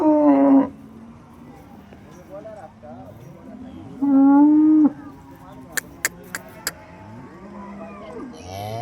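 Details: Holstein Friesian cattle at the Loni cow market on 10 June 2026: two loud, harmonic, drawn-out moos about four seconds apart, each steady then dropping at the end, with low voices and a few sharp clicks between them.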